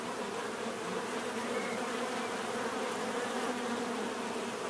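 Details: Dense buzzing of numerous bees, a continuous layered drone with a brief thin higher whine near the middle, otherwise steady.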